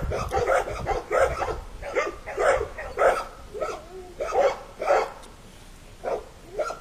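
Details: Puppies out in the puppy yard beside their mother, five young dogs still nursing and eating puppy food; steady repeated barks about once every second, sharp and mid-pitched, with soft rustling between.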